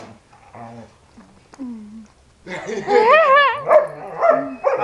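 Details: Pet dogs at play indoors: after a quiet start with soft low murmurs, a burst of wavering, whining yelps and yips rises and falls in pitch, with excited barks crowding the last two seconds.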